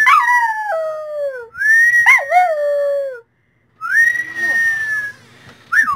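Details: Dog singing in drawn-out howls that waver and fall in pitch, two sliding phrases, a brief silence, then a long steady high note and a last short rise.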